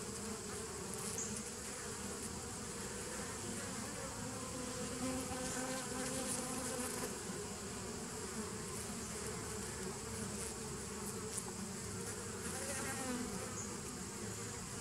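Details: Bees recorded on 27 September 2018, a steady, dense humming drone with layered low tones and a constant hiss above, holding level throughout with no breaks or distinct calls.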